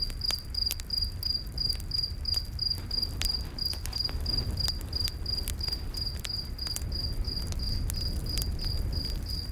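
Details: Night-forest crickets near a campfire give evenly spaced high chirps, roughly three each second, over frequent fire crackles and a soft low rumble of flames.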